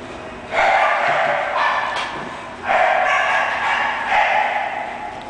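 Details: English Bulldog from a breeding kennel utters three drawn-out, tonal, moaning vocalizations of about one to one and a half seconds each, separated by short pauses, over a steady background hiss.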